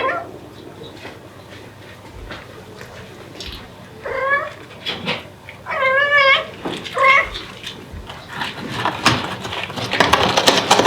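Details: Devon Rex mother cat calling her kittens: after soft rustling, a clear meow, then a long trembling, wavering cry and a shorter meow, ending in loud shuffling and handling noise.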